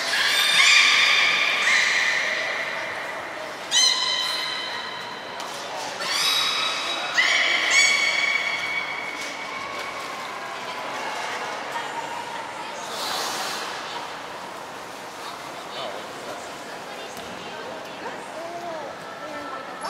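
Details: Belugas Gray, Nana and Nico during a training session at Port of Nagoya Public Aquarium, Japan, on 14 October 2019: bursts of bright harmonic squeals and flat whistled tones, several stacked calls in the first eight seconds, then quieter hall reverberation.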